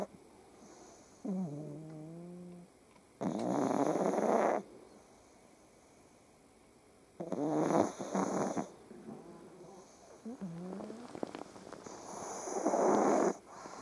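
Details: Pug dogs snoring in the morning while just waking up, lying on top of their owner, with cats purring nearby: loud rasping snore bursts about every four seconds, separated by softer wavering whiny tones.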